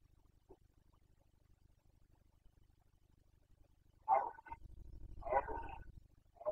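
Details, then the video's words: Carpathian red deer stag roaring during the 2021 rut in Bucovina, Romania: two loud, harsh bursts arrive after four seconds of near silence with low steady hum beneath, then a third begins at the end. "Boncănit / Carpathian stag Breeding season 2021"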